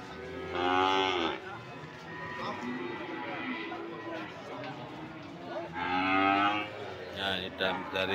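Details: Cattle of the PO type at Sokaraja market in Banyumas, Indonesia, give two loud, harmonic moos about five seconds apart, each under a second. Softer lowing, market chatter and background noise fill the gap between them.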